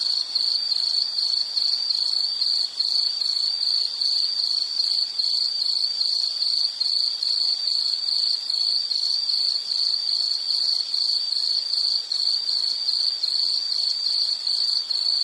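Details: Insect chirping steadily in a high, bright pulsed trill, about two to three chirps per second for the whole stretch, with a fainter hiss of higher overtones and no other sounds.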